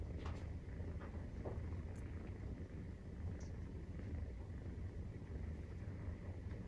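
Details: Purring of a Maine Coon cat while nursing kittens aged 43 days: a steady deep rumble with a fine pulsing texture, plus a few light taps and rustling sounds.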